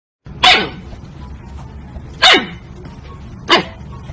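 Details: Siberian husky puppy giving three short, sharp barks spaced about one to one and a half seconds apart, each a brief bright burst, over a low steady background hum.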